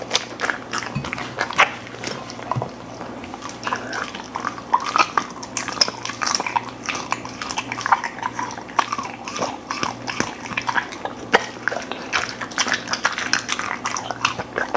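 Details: Golden retriever eating indoors: dense run of crunchy chewing and wet smacking bites, irregular sharp clicks throughout, steady low electrical hum beneath.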